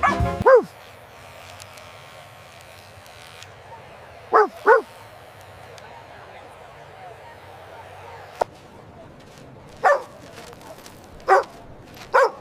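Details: Puppies playing on fresh green grass, running, jumping and play-fighting; a few sharp barks come in pairs and singles with long quiet gaps, over a low steady background hum.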